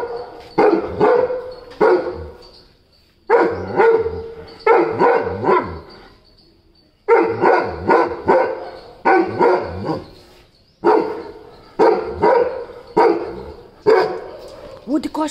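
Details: Weimaraner barking during morning bark-offs: loud, deep, rapid barks in bursts of three to five, separated by short pauses, with a steady high electronic tone underneath.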